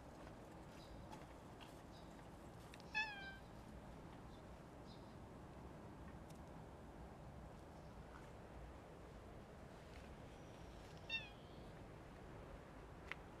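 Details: Stray tuxedo (hachiware) cat found standing outdoors, then inviting the follower closer; two short high meows with rising-falling harmonics near three and eleven seconds over steady low background hiss.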